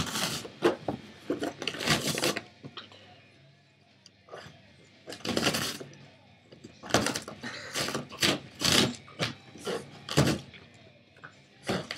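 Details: Bursts of cardboard tearing and scraping in a small room, with brief rubbing and knocking noises between them.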